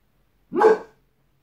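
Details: One short, loud, rough bark from Boss, a white Boxer dog on guard, rising sharply and fading within half a second against silence.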